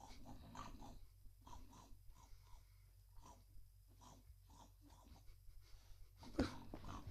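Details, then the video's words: Male cat eating indoors makes pig-like noises, soft snorting grunts and wheezy breaths repeated in quick irregular bursts about twice a second, quiet and close, ending with a louder snuffle in a small room. "Cat Who Makes Pig Noises When He Eats"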